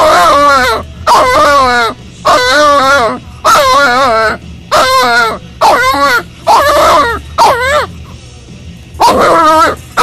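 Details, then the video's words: Boxer puppy Hugo cries in his crate during crate training, upset at being left alone: loud harmonic wavering whines in a steady series, roughly one per second, with brief gaps between. "Hugo Boxer Puppy in his Crate crying."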